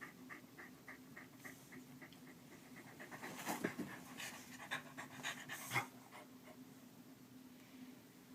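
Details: Keeshond indoors, used as a daily morning alarm clock for its owner, panting in rapid, fairly steady breathy pulses, about two a second, with a few louder rustles partway through.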